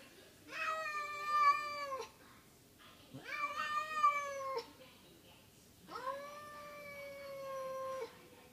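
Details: Kitty Belle, a pet cat, indoors after slamming into a window trying to reach a friend outside, gives three long plaintive meows, each rising then holding steady, about three seconds apart.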